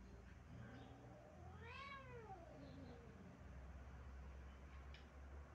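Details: Stray cat on a stairway gives a single arched, wavering howl that rises then falls, rich and tonal, with steady low background hum.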